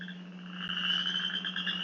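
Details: A male western chorus frog gives its spring breeding call in Michigan: a musical but fairly quiet, ascending, rapid, raspy pulsed trill lasting one to two seconds, like a fingernail run along a fine-tooth comb.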